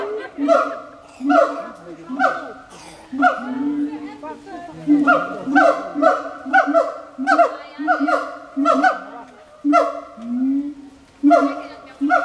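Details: Siamangs at the Berlin Zoological Garden, in captivity, producing loud rhythmic barking calls, repeated notes with a steady low tone and bright upper bands, broken by a few longer wavering notes.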